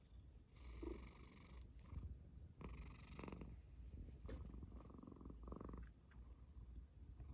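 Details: Cat snoring with a purring undertone: rough, rumbling breaths in uneven bursts, each a broad hiss lasting about a second, over constant low-pitched vibration.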